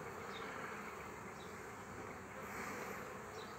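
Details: Honey bees on a frame with their queen as a colony is formed; a thick, unbroken swarm hum that swells slightly toward the end.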